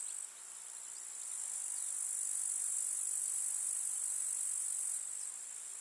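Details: Summer meadow grasshoppers in the countryside, stridulating as one continuous high, hissing shimmer that swells slightly after the first second and eases near the end.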